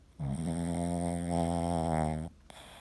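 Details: Boston Terrier asleep indoors, dreaming and twitching with one eye open, gives one drawn-out, low, buzzy snore of about two seconds, rich in overtones and brightening slightly toward its end before it cuts off.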